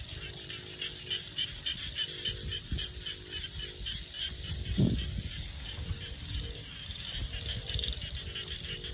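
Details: A rice-field chorus of frogs in the Thai countryside, with rapid, evenly spaced clicking pulses running through the whole stretch, one brief louder thump midway, and steady low background rumble.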